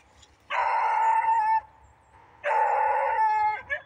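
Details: A dog in the woods gives two drawn-out, steady-pitched howling cries, each lasting about a second, separated by a pause of nearly a second.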